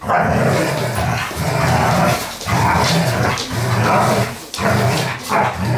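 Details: Dobermanns at play: rough, throaty growls in long rumbling bursts of about a second each, broken by short pauses, with harsh noisy edges and a few gruff bark-like accents.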